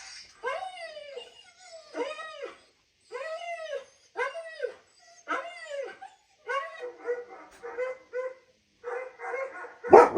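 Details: German Shepherd vocalising in reaction to the sounds of other dogs: a run of arched, whining yelps about once a second, rising then falling in pitch, turning into shorter, flatter whimpering notes near the end before a sharp noise.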